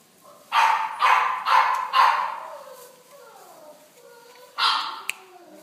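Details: A beige Chow Chow gives four quick, harsh barks in a row, then a single bark after a pause.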